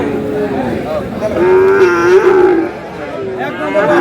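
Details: Friesian and crossbred bull calves at the Aftabganj livestock market in Dinajpur on 22 July: one drawn-out low moo, level and slightly wavering, about a second long, with market murmur and voices behind it.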